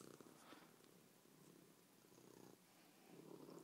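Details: A loud, contented pet cat purring steadily indoors, a continuous low rumbling with regular breath cycles and faint breaks near two and a half seconds.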